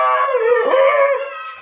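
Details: A pet dog, during or after a fight with a mongoose and possibly bitten, gives a sustained, mid-pitched howl that wavers slightly before fading away.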